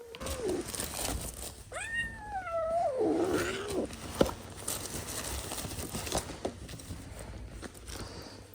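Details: Kitten with pins in its leg, described as very aggressive, biting and meowing because it refuses to enter a carrier before a vet visit. A brief meow is followed by a long, wavering, yowling meow that drops in pitch, amid rustling handling noise.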